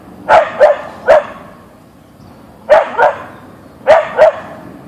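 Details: Siberian Husky (Ausky) named Boeing barking at a deer in the backyard: sharp, loud barks in pairs and triplets, three bursts spaced about a second apart with short quiet gaps between.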